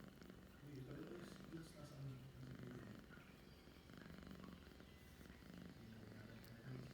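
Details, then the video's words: Indoor cat purring on 11 December 2021 in the afternoon, a deep rhythmic rumble rising and falling with each breath, overlaid by a person's voice speaking nearby. "my cat purrs and then sneezes"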